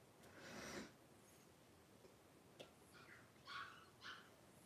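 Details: Three-week-old blenheim Cavalier King Charles Spaniel puppies, a litter of five, wrestle and play in an indoor puppy pen; a short breathy burst is followed by two high, thin squeaks near the end, over a quiet room background.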